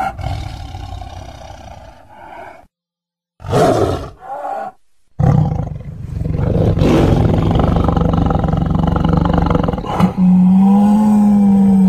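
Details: Tiger roaring and growling in short bursts separated by abrupt silent gaps: deep, rasping, low-pitched rumbles with broad harsh noise, ending in a steadier drawn-out tonal groan.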